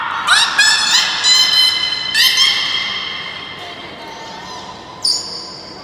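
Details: Beluga named Nana in a training session at Port of Nagoya Public Aquarium, 18 May 2019: loud, squawky calls with stacked, rising harmonics come in several quick bursts over the first two and a half seconds, then one brief high tone near five seconds.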